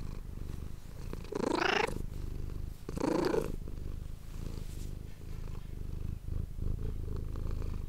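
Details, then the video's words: Pet cat Manis, recorded with an ASMR microphone, gives two short rising meows about a second apart over a continuous low purr that carries on steadily afterward. "ASMR cat purring ❤ Manis die aan het spinnen is"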